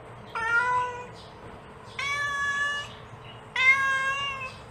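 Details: Mother cat calling to her kittens with three drawn-out, richly harmonic meows, the first rising then level, the later ones flat and sustained, repeated about every one and a half seconds against a faint low hum.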